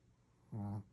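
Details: Sleeping Shih Tzu dog snoring: one short, low, buzzy snore lasting about a third of a second, after near silence in a quiet room.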